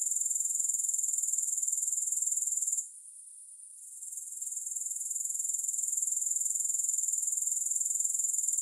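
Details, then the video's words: Grasshopper sounds for sleep, no music: a shrill, high, evenly pulsed trill. It fades for about a second midway, returns gradually and continues steadily to the end. "3 Hours of Grass Hopper Sounds"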